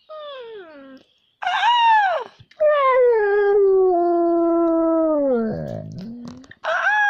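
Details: A young pet dog being taught to howl indoors gives drawn-out tonal howls, one sliding downward, then a long steady wavering note that dips low near the end, with brief louder bursts between.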